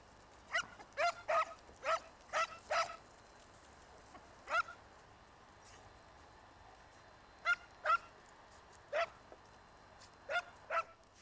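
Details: Segugio Italiano hounds chasing a hare in a vineyard in Italy, filmed in the early 1990s: sharp, ringing barks in quick bursts of five or six, a lone bark, then scattered pairs after pauses.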